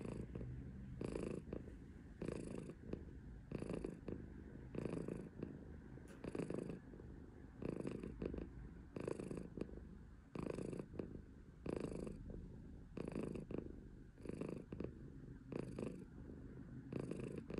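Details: A female silver tabby Maine Coon cat purrs steadily and loudly. The low, rumbling purr pulses with each breath, about every second and a half, with no other sounds.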